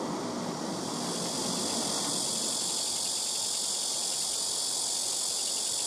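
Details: Blackish cicada (말매미) droning from rooftop trees at a house, noisy callers alternating between trees; an intense high buzzing wall of sound over a rumbling low background hum.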